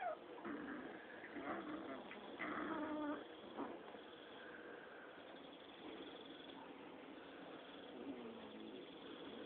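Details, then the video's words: Six-week-old Rottweiler puppies play-fighting: a cluster of rough, harmonic growling and yipping bursts in the first three and a half seconds, then quieter scattered puppy sounds over a steady hum. "Rottweiler pups playtime 6 wks old."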